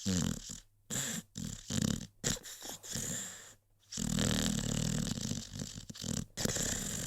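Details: Deep rattling snores from Rocky, a sleeping American Pit Bull Terrier: low vibrating rumbles in choppy bursts, broken by brief silences, then a long continuous gravelly snore over the final three seconds.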